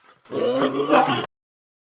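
A lion gives a single rough, throaty growl lasting about a second, then stops abruptly.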